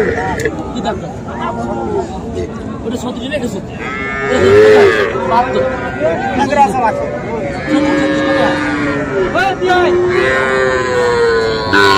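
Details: Cattle market in Cumilla, Bangladesh, on 13 September, with small bulls and heifer calves; repeated overlapping moos of varying pitch from several animals, mixed with steady human chatter throughout.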